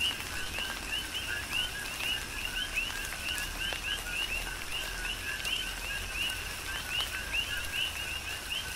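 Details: Big Island, Hawaii: a dense rhythmic chorus of coqui frogs in a tropical downpour, brief rising two-note calls overlapping from many frogs, with steady rainfall and sharp drip impacts throughout.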